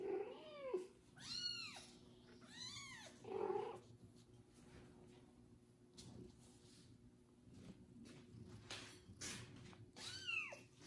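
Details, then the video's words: Kitten named Kubik, licked by a pregnant foster mother cat after his first bath indoors, gives loud arched meows in a cluster early on, then again near the end, with rustling and licking noises between. "loud meowing kitten after his first bath"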